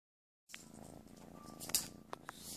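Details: Playful kitten purring indoors in a small room: a soft, steady, low pulsing rumble that starts after half a second of silence, with a few light clicks and taps over it.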